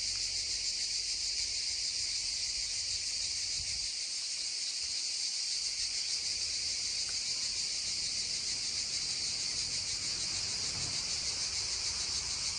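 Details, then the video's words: Loud, dense cicada drone beside a babbling stream, a bright high-pitched buzz with fine rapid pulsing, unbroken from start to end, with only faint low water murmur beneath. "溪聲蟬鳴2(原音), babbling stream and droning cicadas 2"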